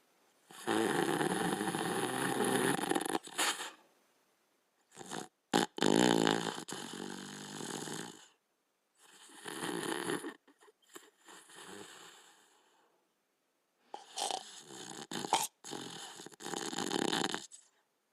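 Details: Sleeping Border Collie snoring in rough, breathy bursts of a few seconds each, separated by quiet pauses, with snorts and sharper clicks within the bursts; indoors, nothing else audible.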